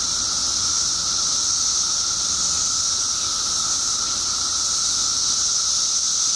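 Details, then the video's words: Periodical cicadas by the billions, emerged in Illinois after 17 years underground, fill the air with a constant hissing drone and a steady lower whine, unbroken from start to finish. "Billions of Periodical Cicadas Emerge After 17 Years Underground Cicadas Making Noise"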